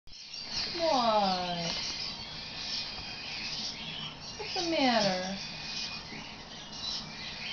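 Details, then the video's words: Marlo, a Neapolitan Mastiff, singing; two short whining howls about three seconds apart, each gliding steeply downward, over a steady background hiss. "Neo Mastiff singing"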